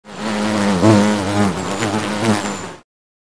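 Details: Bee buzzing, a steady low droning hum with wavering pitch for nearly three seconds before cutting off abruptly into silence.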